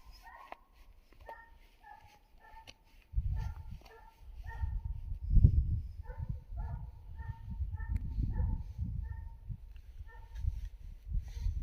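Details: Distant hare-chasing Finnish Hound, its baying carried clearly downwind: a long run of resonant barks at an uneven pace, some doubled, with rustling footsteps and low murmur from nearby people underneath.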